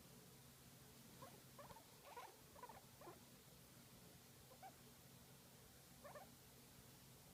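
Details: Guinea pig enjoying a massage, making a few soft, short rumbling chirps in small clusters near the start and again toward the end. A steady low hum runs underneath throughout.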